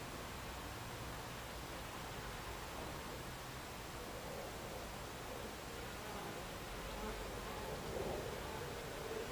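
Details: Buckfast honey bees inside an alternative beehive, recorded July 29, 2013: a dense, steady buzzing hum filling the whole recording, with a slight swell near the end and no other clear sounds.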